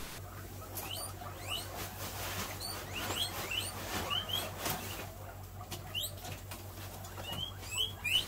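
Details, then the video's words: In February 2023, a crowd of guinea pigs from a group of over 50 wheek loudly in the morning, shrill rising squeals overlapping as they excitedly anticipate their morning hay. "As you can hear, everyone is of course super excited to get their hay, as always."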